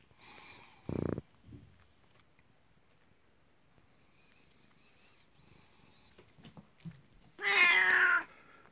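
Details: Nineteen-year-old pet cat named Kuku calling its owner at bedtime and welcoming them indoors; one loud harmonic meow near the end, falling in pitch, after a thump and quiet rustling.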